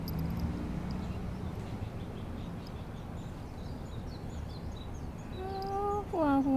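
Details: Kira, a pet Maine Coon cat, greets its owner on her first return home from hospital. After a quiet stretch with soft Japanese speech early on, the cat gives a clear meow near the end that first rises, then falls.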